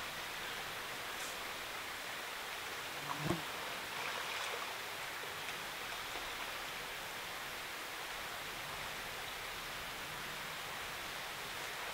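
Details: Steady hiss of rushing water or rain fills the forest, with one brief knock; no stag roar can be heard.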